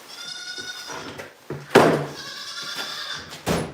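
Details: Goat on a snow-covered farm on a cold day, giving two drawn-out, nasal, wavering bleats about a second long each, separated by loud knocking and clattering thuds.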